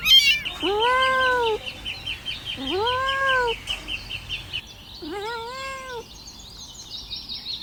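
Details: Kittens crawling around and asking for their mother's milk, giving arched, rising-then-falling meows in three spaced bursts, with higher chirping squeaks running through the background.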